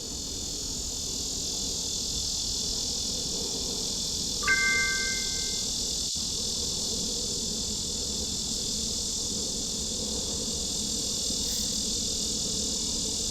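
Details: A lyric cicada, common along waterways in the US Midwest, gives a steady, high, hoarse, buzzy rattle that drones on without a break; its song is the longest of the local cicadas, lasting up to a minute.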